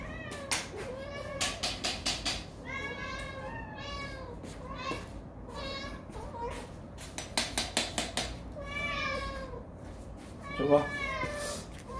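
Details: Several cats at their first group mealtime, called to come and eat: a series of short, harmonic meows in bursts, overlapping a man's voice and sharp clicking or tapping sounds.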